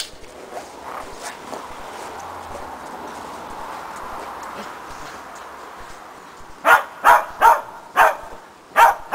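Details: Preston, a Shetland Sheepdog, working on agility running contacts with a training box and jump grid. Low background rumble and faint voices give way to five or six loud, clipped barks repeated roughly every half second near the end.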